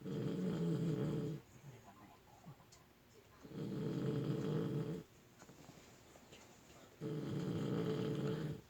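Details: Puppy snoring in its sleep indoors, three long, steady, rasping snores of about one and a half seconds each, returning roughly every three and a half seconds with soft breathy gaps between.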